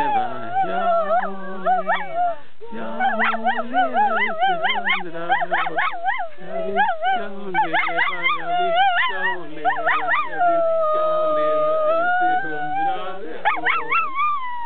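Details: A pet dog "singing", howling in wavering, rich tones that rise and fall in quick glides, then holds one long steady note before a few more bends at the end.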